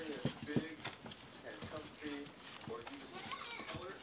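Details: A litter of newborn Siberian husky pups, born in March 2017 to Liv, gives rapid short squeaky cries and brief harmonic whimpers, several pups at once, against soft rustling and clicks.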